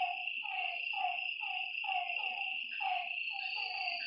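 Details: Night frog chorus at a lakeside, with clipped downward-sliding notes pulsing roughly twice each second and overlapping, set against a constant shrill insect hum.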